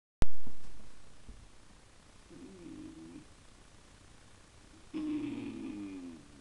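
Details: A Miniature English Bull Terrier, staring at a fish tank where a small fish stares back, gives soft, nasal whines, a brief one and then a longer, wavering one.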